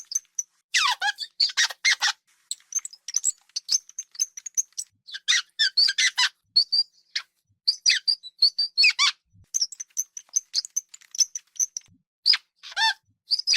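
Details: Hamster's small squeaks and occasional shrieks: dense bursts of high, falling squeals alternating with rapid faint chirps every fraction of a second, in near silence.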